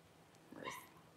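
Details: Cavalier King Charles Spaniel at a home whelping, mother Paris delivering her first newborn puppies: a single brief squeaky whine rising then falling, under one second long, over a quiet indoor background.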